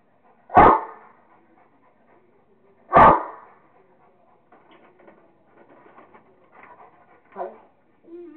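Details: Kingston the Rottweiler at play with a squirrel, giving two sharp single barks roughly two and a half seconds apart, followed by soft rustling and a faint brief whine near the end.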